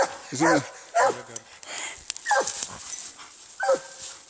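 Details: Treeing Walker Coonhound fighting a raccoon, giving four strained, descending barks and yelps spaced irregularly, the first ones rough and growly, with a faint noisy background.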